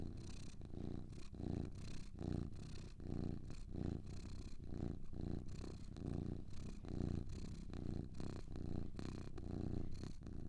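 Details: Low, even purring of two cats, a throaty buzz rising and falling with regular breaths, close to two cycles per second, carrying a light breathy texture on top throughout.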